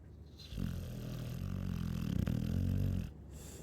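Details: Chow Chow snoring, one long rumbling inhale of about two and a half seconds, low and buzzy with stacked deep harmonics and a rough fluttering texture, after a quiet start.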